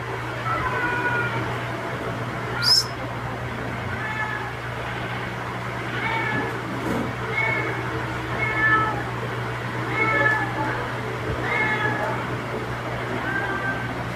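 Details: A stray outdoor calico mother cat, outside the house at 9:14 PM on 7 May 2022, calls to her kittens indoors to feed them milk, with soft, repeated meows about one every second or two.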